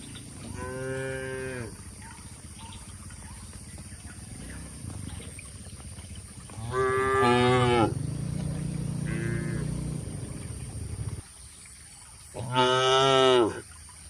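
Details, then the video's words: Tame cattle moo from inside a shed in rural Indonesia, three full drawn-out lows and one brief shorter one, over a continuous low rumbling background. "Suara Sapi Moo Lucu & Menghibur"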